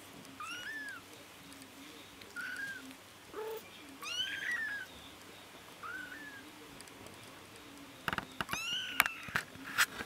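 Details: Bengal kittens, including the smallest female, who has just mastered walking; thin high mews that rise then fall, several in a row spaced a second or two apart, with sharp clicks and knocks near the end.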